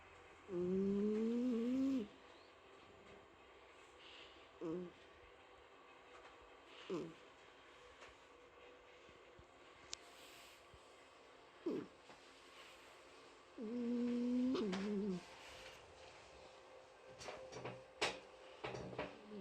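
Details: Asleep at home, Mike the cat gives a nasal, whistled snore at the start and another about twelve seconds later, with soft rustles and light clicks in the quiet room between them.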